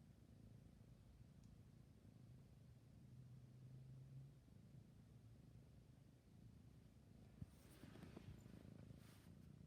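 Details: Steady low purring of a sleepy kitten, a soft rumbling drone through the whole stretch, with hissy rustling noise in the last few seconds.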